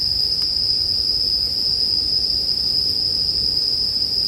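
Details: An unbroken high-pitched ring of bell crickets fills the short stretch, over a faint low murmur of fire and only a couple of small crackles.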